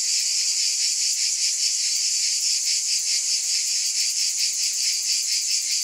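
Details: Cicada chorus, an intense high buzz with rapid rhythmic pulsing layered over a steady hiss, continuous and without pauses.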